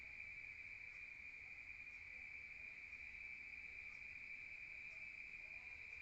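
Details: Night chorus of crickets in a rural setting, heard from indoors: one constant, piercing trill at an even pitch and volume, with only quiet background hiss beneath it.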